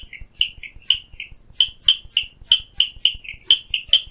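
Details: A clicking stream frog (Strongylopus grayii) calls outside a window at Phillipskop Mountain Reserve, Stanford, Western Cape, South Africa, giving a steady run of short, sharp, high-pitched clicks, about three each second.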